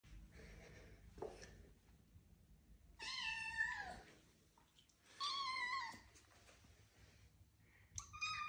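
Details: Blond male British Shorthair kitten indoors, filmed on 12 November 2022 with an iPhone 14 Pro Max; three clear meows, the first two drawn-out and slightly falling, a shorter one at the end, with quiet room noise between.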